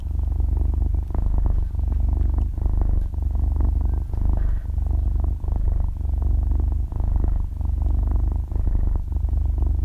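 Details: Sleeping six-month-old kitten, belly up and stretching its paws, purring at very close range; a soft but loud low motor-like rumble rising and falling with each breath, roughly every second and a half.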